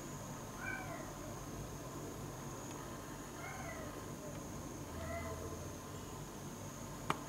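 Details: {'caption': 'A tuxedo (black-and-white) cat visiting several times that day gives three drawn-out meows about two seconds apart, fairly faint over steady background hiss and hum, with a sharp click at the end.'}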